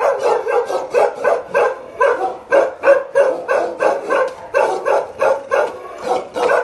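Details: A Bakarwal dog pair gives a steady, aggressive volley of gruff barks. The barks are evenly spaced and come about three per second without letting up.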